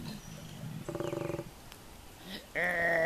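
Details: Wild male koala in the woods, in the morning, gives a low, rumbling burp: short guttural pulses, then a louder throaty rasp.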